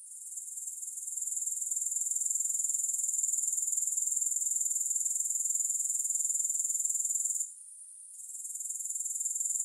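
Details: Continuous high, buzzy grasshopper trill made of rapid regular pulses. It swells in over the first second, breaks off briefly near the eighth second, then resumes. No music is present.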